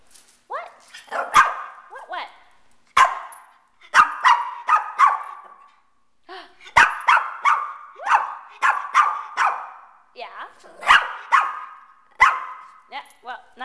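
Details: Pet Shih Tzu named Candy Kane, a male, barking in repeated sharp yaps, many in quick bursts with short pauses between, some with a whining tail, while a person keeps talking to him in the background.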